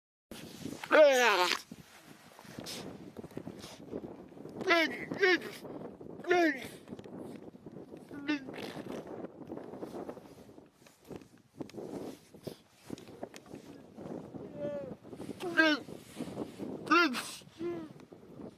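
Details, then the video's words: Seal making cute sounds: several drawn-out, harmonic, wavering cries that rise then fall, given in scattered bouts with quieter rustling and low murmurs between them. "Seal making cute sounds"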